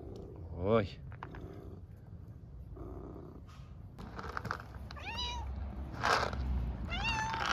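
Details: Stray cats in Istanbul, hungry and seeking food and attention, give a sharp rising meow early, then more wavering meows near the end, amid a woman's soft Turkish calls and low traffic noise.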